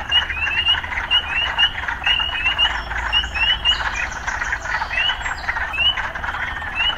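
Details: Frogs in an urban setting: a constant buzzing chorus with quick upswept chirps in irregular bursts of two or three, a faint low rumble underneath.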